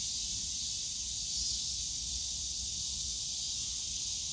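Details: Summer cicada chorus in the Yongsan Family Park bamboo forest, a continuous high sizzling drone that barely changes in strength, with soft low background hum from the surrounding park.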